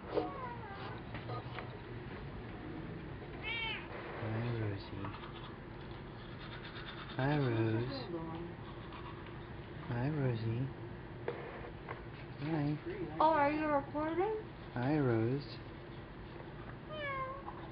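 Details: House cats, one called Rosie, giving several drawn-out wavering meows with rising and falling pitch, some in quick pairs, amid a woman's chatter in a small indoor room.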